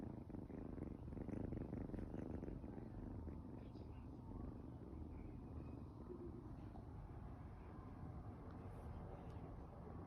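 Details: An 8-week-old Ragdoll kitten purrs steadily, a low continuous rumble close to the ear.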